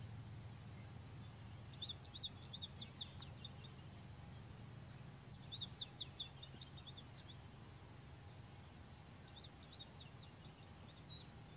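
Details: Painted wolf (African wild dog) giving short clusters of quick, high chirping twitters near two, six and nine seconds, each burst thin and squeaky, with a constant low mechanical hum underneath.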